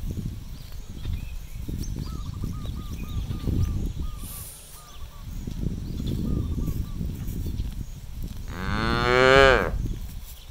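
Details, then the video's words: Cows freely grazing and looking for food in an empty rice field on a farm; one loud harmonic moo near the end, with trampling and chewing noises, faint repeated bird chirps and high insect buzz. "cows looking for food on the farm field, cows sounds"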